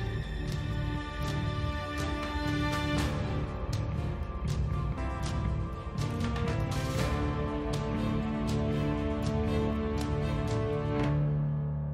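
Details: Dramatic, tense instrumental music with sustained tones and sharp percussive hits plays throughout, and no animal sounds are heard.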